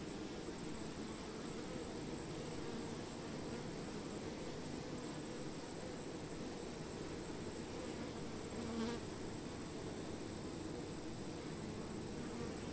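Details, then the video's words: Honey bees among flowering plants, kept for relaxation listening: a steady, low droning hum with no breaks. A constant high-pitched hiss runs underneath throughout, and there is a brief soft rustle near the end. "Honey Bee - Relaxing Sounds of Bees"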